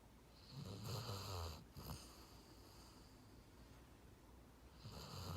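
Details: Dog asleep and snoring, a long rough low snore, a brief pause and a short snort, a quieter stretch, then another snore beginning at the end.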